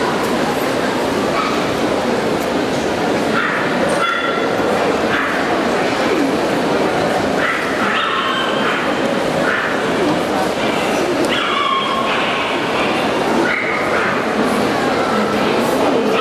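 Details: Pomeranian males in the intermediate class at Eurodogshow 2017; short, high yappy barks come in scattered bursts every second or two over a steady roar of crowd chatter and hall noise.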